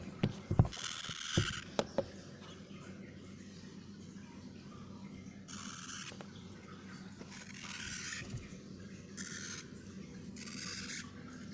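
A frightened baby hamster gives short, harsh, hissing bursts of noise over a low steady hum.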